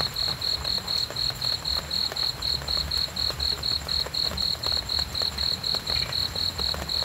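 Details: Steady cricket chirps, a sound for sleeping and calming the mind: bright, high pulses evenly spaced around four per second for the whole stretch, over a low background hum.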